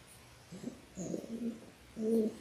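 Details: Six-week-old Labrador Retriever puppies, a litter of six born January 18, 2022, on an indoor live puppy cam: three soft, low whimpering coos over two and a half seconds, the last one longest and steadiest.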